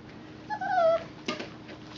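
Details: Four-week-old puppy with Mama Valentine, recorded indoors on 18 March 2013; a single thin, whistled whine slides gently downward for about half a second, followed by a brief sharp knock.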